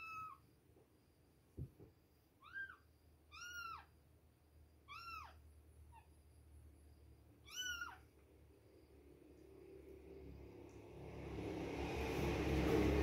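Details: Two-week-old baby kittens at milk time: a string of high, arched meows, rising then falling, repeated irregularly about every second, fading out as a broad rushing hiss swells near the end.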